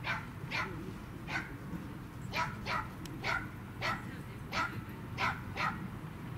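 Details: Pembroke Welsh Corgi named Roku at a dog run, being petted by many people, barking in sharp repeated yaps about every half second, some in quick pairs, over steady low outdoor rumble.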